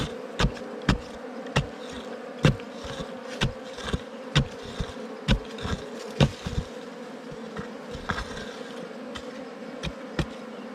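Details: Continuous low droning hum of wild bees while hunters dig for a ground or cavity bee nest, overlaid by repeated sharp thuds and clicks roughly every half second to second from the digging.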